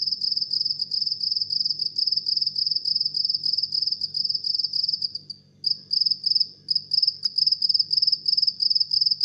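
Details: At midnight a house cricket keeps up a steady run of shrill, rapidly pulsed chirps, roughly three or four per second. It pauses once briefly midway, then continues. A soft low hum lies underneath.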